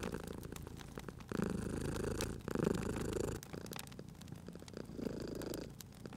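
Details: Cozy fireside scene with a sleeping cat: deep purring bursts, two strong ones early then quieter ones later, separated by short pauses, while the fire crackles and snaps in the background.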